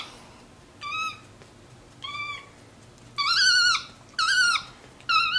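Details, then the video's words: MonkeyBoo, a pet capuchin monkey lounging on a leather couch, calling indoors; spaced squeaky tonal notes, the later ones louder and longer, wavering in pitch, roughly one per second. "Vocal Monkey On the Couch!"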